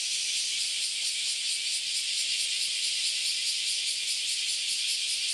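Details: A dense chorus of cicadas fills the Philosophy Path in Kyoto, Japan, on a Sunday morning in August: a loud, even, high-pitched sizzle with gentle rhythmic pulsing.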